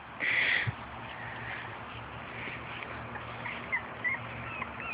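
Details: High squealing whimper from puppies aged four and a half weeks, out with mother Fergie and half sister Miley on their first outing; one loud cry at the start, then faint scattered squeaks over a steady background hum.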